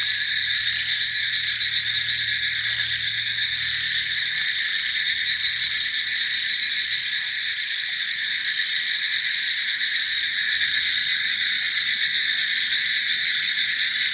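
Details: Countless frogs calling together in a dense, unbroken chorus: a steady shimmering mass of high trilling notes in two bright bands, holding at an even loudness with no pauses throughout, and a faint low hum early on.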